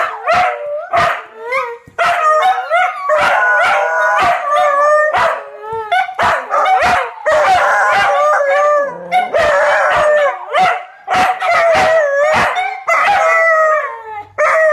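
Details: Chorus of four household dogs howling in response to fire trucks driving through the neighborhood, drawn-out quavering tones stacked over one another, interrupted by frequent short barks and yips, with a sliding howl near the middle.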